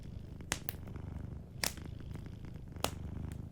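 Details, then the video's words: Soft, even rumble of a cat purring in its sleep, broken by three distinct loud crackles from a nearby fireplace. "Sleeping Cat 🐱💤Fireplace & Soft Purring"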